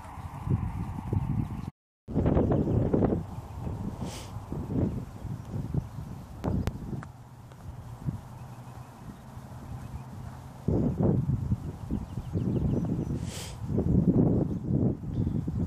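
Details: Hooves of a Dutch Warmblood horse thud in low, irregular bursts that come and go, with a brief dropout early on, quieter stretches in the middle and a faint hum in the background.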